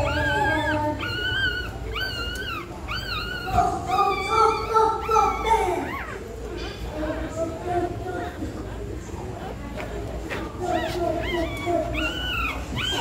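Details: Pregnant dog in labour preparing a nest for birth; series of high arched whines, several per second in bursts, with a lower moaning whimper mid-clip and more whines near the end over steady background hum.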